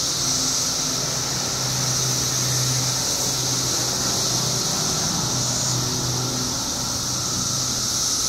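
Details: Billions of periodical cicadas emerge in Illinois after 17 years below ground, keeping up an unbroken high-pitched buzzing chorus while a low engine-like hum rumbles underneath.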